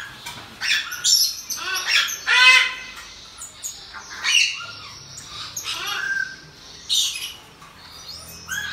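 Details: Captive pygmy marmosets, a mother with two newborn babies; high, squeaky chirps and trills come in clustered bursts, some squawky and harsh, repeated irregularly throughout.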